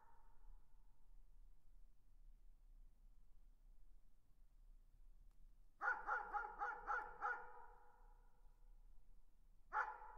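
A dog barks in the distance, a quick burst of five or six barks then one more.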